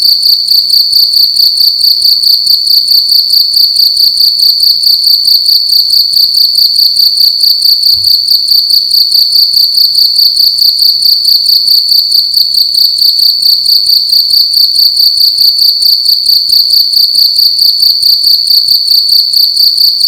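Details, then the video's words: Nighttime cricket in a room, chirping loudly and continuously, a shrill, high, steady stream of quick pulses held at an even level, with one faint low thump near the middle. "Cricket making loud sounds at night in a room"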